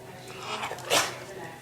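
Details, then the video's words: Pet dog sneezing on cue: one sharp, hissing burst of breath near the one-second mark, preceded by faint snuffling, while a person repeatedly prompts "sneeze" in a quiet room. "Cute Dog Sneezing"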